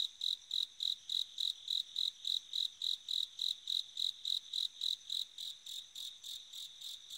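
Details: Autumn-night chirping of a bell cricket: a rapid series of bright, ringing high-pitched pulses, roughly three or four each second, keeping an even rhythm before softening slightly near the end, over a still, quiet background.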